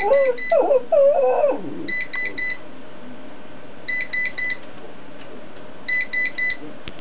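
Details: Franky, a singing dog, gives a short wavering, whining howl that rises and dips for about a second and a half, followed by repeated bursts of electronic beeping tones.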